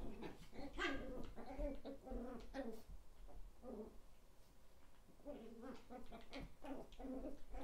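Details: Thirteen-week-old Chihuahua puppies indoors, one named Cola, give high, whiny yips and whimpers in quick clustered bursts, a brief lull near the middle, then another run of squeaky cries, over a low room hum.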